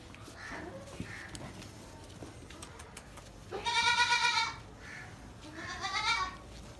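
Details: Newborn Gulabi goat kids at Nagra Farm: a loud, quavering, harmonic bleat lasting nearly a second, then after a short pause a second, shorter and softer wavering bleat, with light rustling and scattered clicks in the background.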